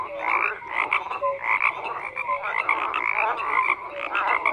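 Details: Many frogs croak together, their rough, rattling calls overlapping constantly while brief piping notes pop out at irregular intervals; an unbroken, busy night-chorus texture.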